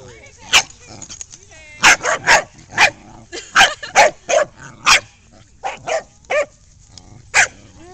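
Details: Ruby and Macsen, two older dogs, harassing the new puppy Lexie during rough play; rapid yappy barks fire in quick clusters, some close together, some spaced about a second apart, over a woman's voice.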